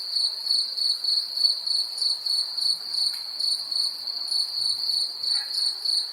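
A cricket trills steadily in a high, ringing tone, pulsing slightly in strength.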